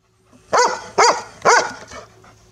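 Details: A female Golden Retriever gives three loud, evenly spaced barks at a garden hose, demanding that it be switched on.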